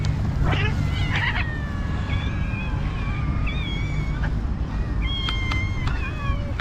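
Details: Cats being fed by a person give repeated drawn-out meows, some rising then falling, spread across the clip over a steady low rumble.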